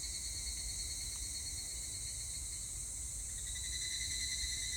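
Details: On 25 July 2019, evening cicadas (higurashi) sing a steady, shrill, high-pitched drone with a faint pulsing edge.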